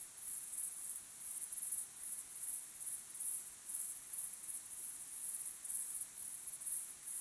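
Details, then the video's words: Evening crickets at sunset, natural sound: a high, thin trilling chorus pulsing in regular bursts about twice per second, faint and even, with nothing else standing out. "Calm, beautiful sunset sky with crickets chirping sound"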